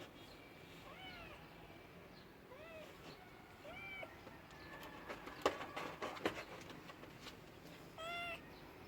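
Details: Domestic cat meowing in short arching calls, four meows spaced about a second or more apart, with a burst of sharp clicks and knocks in the middle and a steady background hiss.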